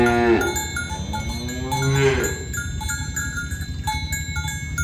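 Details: Tame cows herded in the morning toward the pen along village roads. A short moo with falling tones opens, a second low, drawn-out moo follows near two seconds, and steady metallic cowbell ringing continues throughout.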